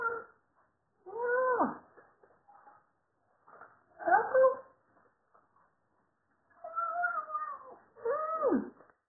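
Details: Pet Siamese cat, eager for food and eating; several drawn-out meows with falling, wavering pitch, spaced a few seconds apart in a quiet indoor room.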